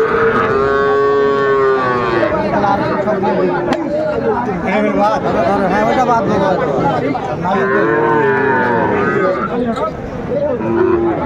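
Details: Small Sahiwal calves for sale at a Dhaka cattle market in Bangladesh, February 11, 2025; repeated wavering moos from more than one calf over constant talking and crowd noise.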